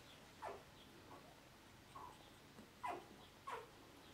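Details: Whimpering squeaks from a male dog, the first male of the P litter: brief falling notes in a loose series, with the last three louder and closer together, over a quiet background.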